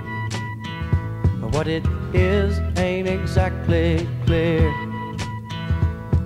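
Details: Country-style music with instruments and a singing voice fills the recording. No animal sounds can be picked out.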